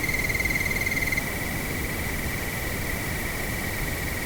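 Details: A cricket gives a steady, high, pulsing trill over a bed of rushing wind at nightfall.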